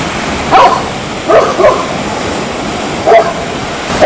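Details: Several short, bright dog barks come singly and in a quick pair, roughly every second or two, over faint steady background noise.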